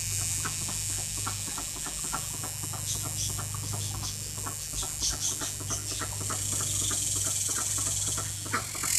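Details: A cicada seen up close while singing, a small insect caught before it could hide or fly away: a steady, high, hissing buzz held throughout, with fast clicking pulses lower down and a constant low hum.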